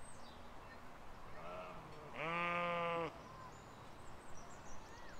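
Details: Sheep grazing with lambs in a field in spring 2020, one loud, steady, nasal baa lasting nearly a second with rich harmonics, framed by soft bird chirps and a faint rising whistle against a low background rumble.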